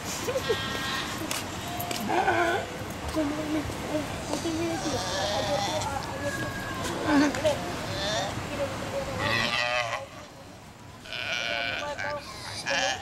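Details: At night on San Cristóbal island in the Galapagos, several Galapagos sea lions call over one another with wavering, bleating bawls and hoarse barks, each a second or two long, over a steady rushing background.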